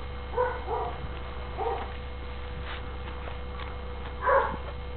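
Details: Registered Catahoula Bulldog puppies giving short, high, tonal yelps and whimpers: a cluster of three in the first two seconds, then one louder cry near the end, over a constant low hum.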